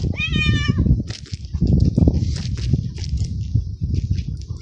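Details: Very young male stray kitten living in a city garden, purring after eating; one clear rising-falling meow opens, followed by a continuous low rumbling purr with soft rustling noises.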